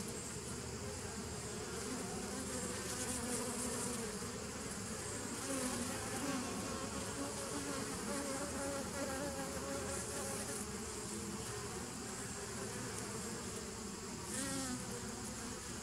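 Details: Honey bees on 27 September 2018, a continuous humming drone carrying faint wavering pitched tones that rise and fall, with a few brief bursts of airy hiss and a small chirp-like sweep late on.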